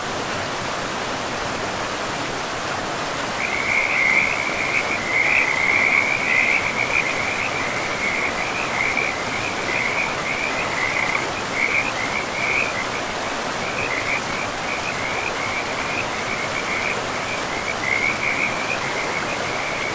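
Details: Frogs by a river deep in a pristine forest, calling in rapid repeated trilling notes, often overlapping into a continuous chorus, over a steady broad rush of flowing water.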